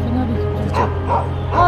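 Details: A wary yellow dog, believed by a vet to be the mother of puppies stuck in a drainage pipe, gives three short, hoarse barks about a third of a second apart from the mountainside over soft music.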